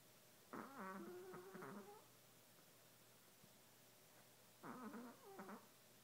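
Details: Chihuahua sleeping after a long day, snoring: two rough, wheezy nasal breaths about four seconds apart, each a buzzy harmonic rasp lasting over a second, in a quiet room.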